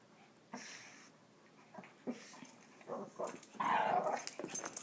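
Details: Two Shih Tzu playing together in a small room, one wanting to be chased; a run of brief growls and whiny yips grows louder and more frequent toward the end, ending in a longer rough growl.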